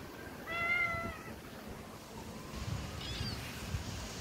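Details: Hungry stray mother cat with kittens living on the street; one clear, drawn-out harmonic meow rising then falling, followed by a fainter, higher short mew, over steady low outdoor rumble.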